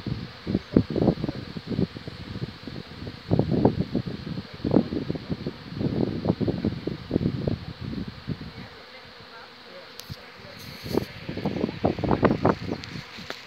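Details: Swarming honey bees at the Borgstichting, Haarlem, 11 May 2017, as a colony divides and the old queen leaves with half the bees. Close, rapid buzzing fly-bys come in dense bursts, ease off briefly, then pick up again, with soft voices nearby.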